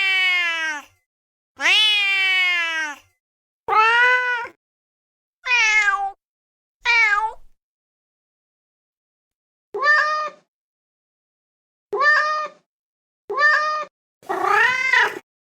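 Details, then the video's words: Series of nine kitten meows, cleanly cut with silences between: early ones long and sliding downward, later ones short, quick and pitched higher, the last a rougher wavering mew. "Kitten meowing compilation"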